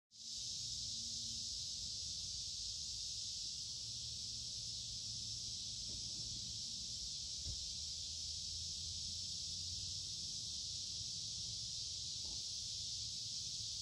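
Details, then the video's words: Cicadas in full chorus during a summer walk in the woods along a creek on a warm, humid day: a steady, loud, unbroken high-pitched buzzing drone that stays even throughout, with faint low rumbles beneath. "Walking along a Creek with lots of Noisy Cicada Insects Singing in Summer"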